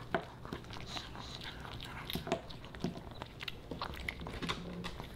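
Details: Pomeranian puppy Boba Bear eating dog-safe fish and chips in a small room, irregular crisp crunches and chewing smacks roughly every two seconds, some faint soft background tones.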